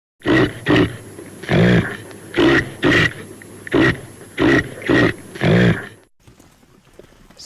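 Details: Caribou grunting rhythmically, hoarse low pulses repeated roughly every half second for six seconds, some longer and more drawn out, before the calling stops and only faint background hiss remains.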